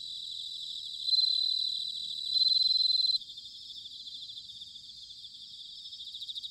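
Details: Autumn bell cricket recorded in Sanuki, Chiba, Japan, giving loud, high, rapidly pulsed trills, one rising in volume then a second, harder burst that cuts off sharply, leaving quieter crickets pulsing steadily behind.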